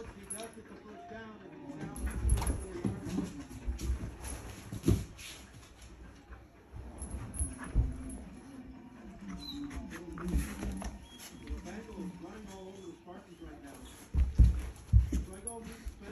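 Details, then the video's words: Dog play-wrestling with a person, a golden retriever named Blue or a blue heeler named Creed, giving low rumbling growls and whimpering sounds in bursts, loudest near the start and end, mixed with a man's voice and scuffling. "Wrestling a Golden Retriever "Blue" vs Blue Heeler "Creed""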